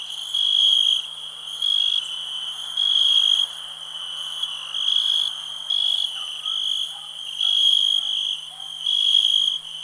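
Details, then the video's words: Cricket from a 2021 nature ambience recording, its shrill, even trill swelling and fading in repeated bursts roughly every one to two seconds over a constant faint low hum. "Nature sounds, cricket relax"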